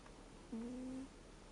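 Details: Sleeping American Shorthair cat named Reo, 13 years old, gives a single snore of the kind that turns from 'guu' to 'puu': one brief, level, whistle-like hum lasting about half a second over faint room background.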